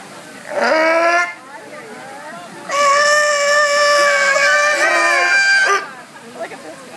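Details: Noisy sea lions at SeaWorld: a short, rich, harmonic bleating wail lasting under a second, then after a pause a long, sustained, steady-pitched braying call of about three seconds, ending abruptly, with faint background murmur between.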